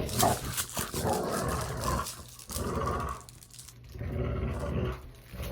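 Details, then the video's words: Playful dog growling made for sound desensitization: throaty, rumbling growls rising and fading in uneven bursts about a second long, separated by short quiet gaps. "Dog Play Growling"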